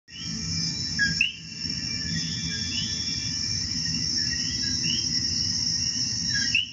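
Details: In Puerto Rico, common coquí frogs give quick upslurred two-note chirps rising sharply at the end, over a constant high-pitched insect chorus and a low rumble.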